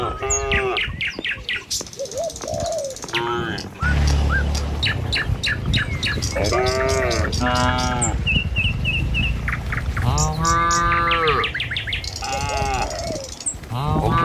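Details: Herd of tame village cattle driven along a rural road at morning on the way to pasture; about five long, wavering moos, a low rumbling hum beneath, and busy birdsong with quick chirps and trills overlapping.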